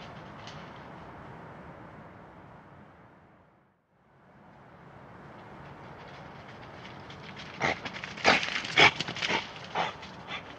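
A badger gives a quick cluster of harsh, breathy snorts and hisses near the end, five or six bursts in two seconds, over a steady background hiss.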